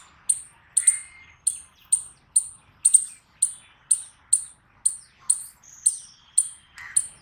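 An eastern chipmunk gives sharp, high chips, repeated about twice a second in a steady series.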